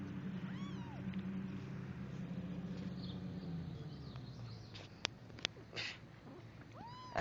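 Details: Abandoned kittens, taken outside: a faint, short arched meow near the start and another at the very end, over steady low rumbling background noise with a few sharp clicks and knocks.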